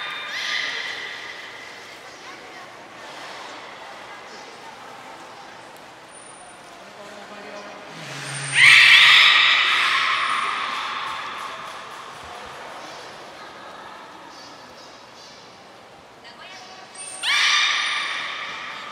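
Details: Belugas at Port of Nagoya Public Aquarium during a training session with all animals taking part, 2 April 2023; two loud, bright, harmonic squealing calls around the middle and near the end, with a fainter, buzzy, ringing tone between them in a reverberant room.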